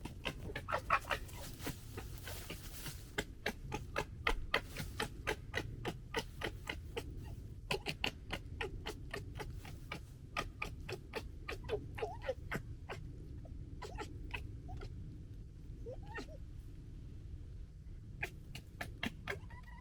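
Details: Red fox cubs from the 2021 litter gekkering while fighting: rapid, irregular dry clicks and taps in quick bursts, with a few short squeaky notes, over a low steady rumble.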